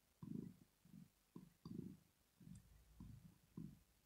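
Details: Sleeping house cat Rosetta purrs contentedly: deep, rough rumbles rise and fall with each breath, about every half second to second, loud and close in a quiet room.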